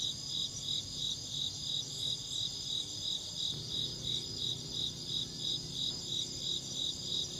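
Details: Steady insect chirping, shrill pulses at an even pace of about three per second, backed by a constant high whine and a low background hum with a faint thump midway.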